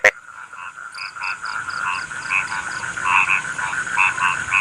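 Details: Frogs calling "kokak-kokak": short, bright notes repeated in loose series and quick high peeps sit over a constant droning background chorus, beginning with a sharp click.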